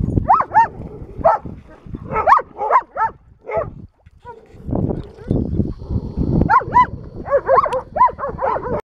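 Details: Spayed female German Shepherd, two and a half years old, mingling at a rescue ranch in Pleasant Grove, California, August 16, 2018; bursts of high arched whimpering yelps in quick runs, a brief pause mid-clip, then more yelps over shuffling noise.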